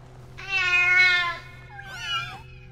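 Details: Kitten meowing, a means of communication that began as a way to reach its mother, a long harmonic meow swelling then falling, followed by a shorter wavering meow, over a steady low hum.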